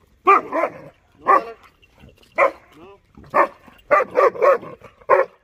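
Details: Dollar, a 6.5-month-old male German Shepherd puppy, barking at buffaloes he dislikes: loud, sharp barks in irregular bursts, some doubled or tripled, about eight in five seconds with short silent gaps.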